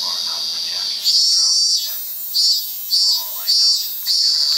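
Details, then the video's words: Japanese cicada (zemi) singing loudly, a high shrill buzzing held steady, then swelling into pulsing bursts about every second with short dips between, strong and close throughout. "Japanese Cicada (Zemi)"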